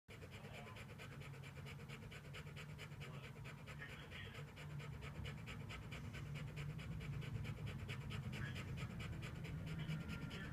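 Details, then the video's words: Samoyed dog overheated and panting: fast, steady breathy pants repeated roughly three to four times a second, growing a little louder partway through, with a low rumbling background. "Enzo The Samoyed Overheats"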